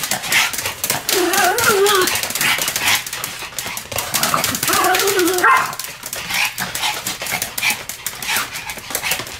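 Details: Two Pomeranians, Sam and Marin, barking in duet: two drawn-out, wavering, whining yowls, one early and one near the middle, among dense clattering and rustling noise.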